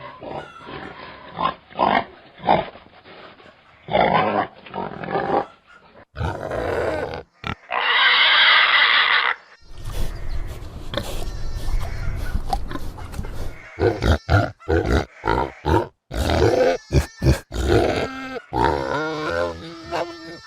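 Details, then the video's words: Domestic pig sounds in quick cut segments: short rough grunts and snorts, then a loud sustained shrill squeal lasting about two seconds, followed by deep rumbling grunts and choppy bursts of snorting. "Som Do Porco | Barulho Do Porco | Grito Do Porco | Grunhido Do Porco | Ronco Do Porco | Pig Sound"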